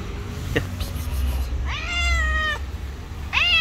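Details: Two street cats that dislike each other meet and fight, giving drawn-out harmonic yowls that rise then slowly fall, one long wail around the middle and another starting near the end, over low rumbling background noise.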